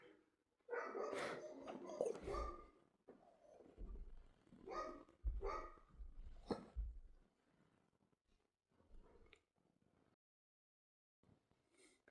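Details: Dog barking in bursts of loud, harsh woofs, two clusters near the start and middle, with softer whining and grumbling between them and fading quieter calls toward the end.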